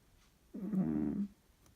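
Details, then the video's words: Very loud snore from a sleeping cat: a single rough, buzzing inhalation lasting under a second, low and grating, set against near silence in a small indoor room. "Кошка очень громко храпит!"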